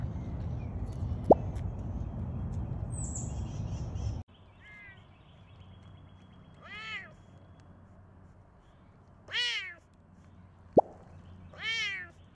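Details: A rescued serval at a big cat sanctuary in Tampa, Florida, USA, gives three drawn-out, meow-like calls that rise and then fall, each with a rich nasal tone.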